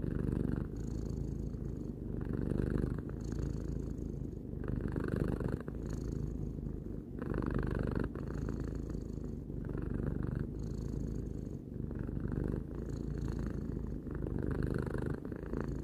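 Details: A three-year-old house cat purring for a long stretch: deep, buzzing rumble with rhythmic breath cycles roughly every one and a half to two seconds, each phase marked by a slight brighter hum, nothing else audible.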